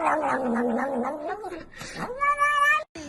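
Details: Pet cat giving a drawn-out, wobbling yowl that dips and slides, breaks off briefly, then rises into a brighter, sustained whining cry before cutting out.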